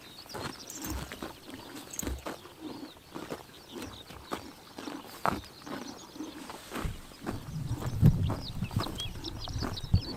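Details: Horses eating grass on a summer morning in Tuv province, Mongolia: steady crunching bites and chomps, growing into a heavier low rumble near the end, while small birds twitter faintly in the background.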